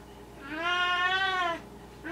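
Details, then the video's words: Esmerelda, a Maine Coon cat, talking at night indoors: one long, steady, harmonic meow lasting nearly a second, then the start of another as it ends, over a low background hum. "Maine Coon Talking"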